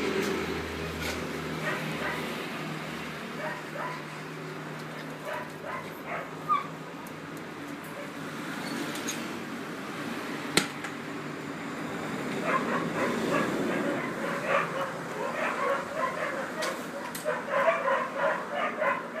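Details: Collie puppies aged 50 and 63 days, filmed 20 July 2013, giving scattered high yips and whimpers, sparse at first and then in quicker bursts toward the end over a steady background hiss.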